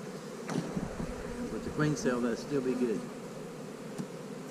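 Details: Honey bees at hives being split, with queen cells in the splits: a steady low droning hum fills the clip, broken briefly in the middle by a man's voice talking over it.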